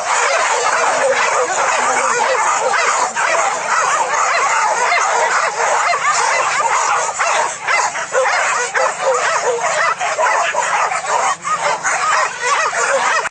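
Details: A pack of trained dogs hunts wild boar in the fields of Solok, West Sumatra, Indonesia, keeping up a loud, continuous mass of overlapping barks and high yips with barely a pause, and a faint low hum beneath.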